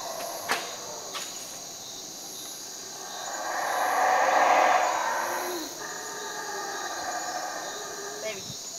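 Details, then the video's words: Howler monkeys at 4 a.m. outside a cabin at Cotton Tree Lodge, Belize, waking the occupants, roar in the distance: a deep, breathy swell that rises and fades over insect hum. "Sound of howler monkeys"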